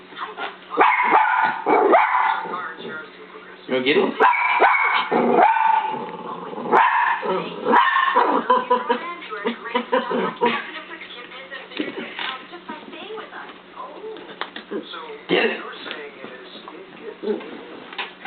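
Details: Pet dog Scarlet chasing a laser pen's dot indoors, giving loose runs of high yipping barks, roughly one burst every few seconds, while people talk and a television advert plays over the top.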